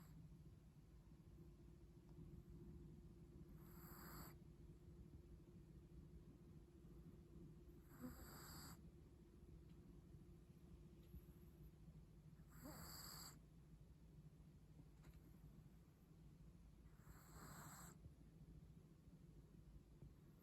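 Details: Sleeping Chihuahua snoring contentedly indoors: soft breathy snores recurring about every four to five seconds over a quiet low hum.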